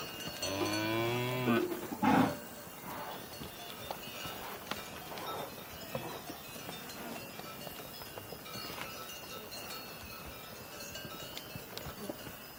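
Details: Cow mooing: a strained, wavering moo with rich harmonics over the first two seconds, then a short sharp bellow, followed by quiet farmyard background with faint clicks and distant tones.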